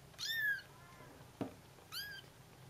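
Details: Bengal kittens calling their mother: two shrill, bright mews with falling tone about a second and a half apart, a short thump between them, faint hum behind.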